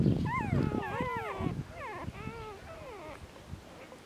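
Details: Newborn Border Collie puppies, a litter of seven two days old out of Glycine, born 14 February 2019 on a farm in France, give a string of high, bending squeals and mewing whines after brief murmured speech.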